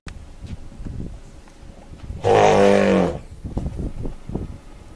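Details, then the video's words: An African elephant trumpeting: one loud, brassy blast lasting under a second, harsh and rich in overtones, rising suddenly out of low rumbling and shuffling noises before and after. "How does an elephant trumpet"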